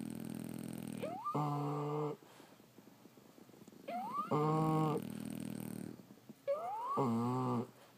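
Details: Sleeping French Bulldogs snoring: three breathing cycles, each opening with a thin rising whistle and followed by a deep, buzzy, rasping snore, roughly every two and a half seconds, with quiet pauses between.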